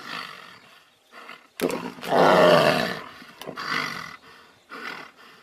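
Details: Fighting tigers roar in one loud rasping outburst lasting over a second, framed by softer growls and further short snarling bursts.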